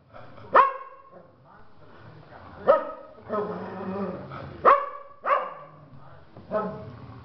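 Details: Pack of dogs at Toca do Bilbo gathering to howl and affirm each one's place: sharp barks roughly every two seconds, with wavering whining tones between them and a person speaking.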